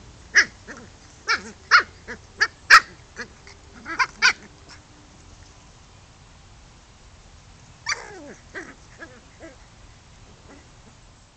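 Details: Playing chow chow gives a quick run of short, sharp yipping barks, about eight in four seconds, then a pause and a drawn-out whining yelp trailing into a few softer grumbling sounds.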